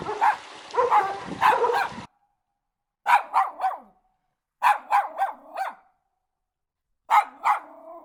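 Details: Domestic dog, real sound for toddlers learning animal noises, barking in clear bursts of two to four sharp barks separated by about a second of silence.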